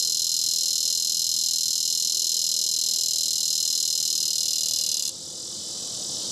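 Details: Bush cicadas (Neotibicen dorsatus) calling in Topeka, Kansas, give a loud, continuous high buzz that drops off suddenly near the end.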